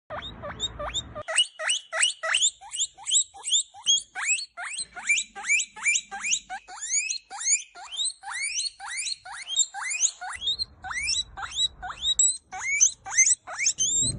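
A guinea pig gives rapid, repeated high squealing wheeks, each a sharp rising whistle, calling to its companion.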